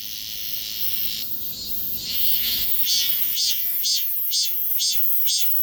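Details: Cicada buzzing, recorded on a Galaxy S24 Ultra phone: an even, piercing drone that breaks into regular throbbing pulses about twice per second during the second half.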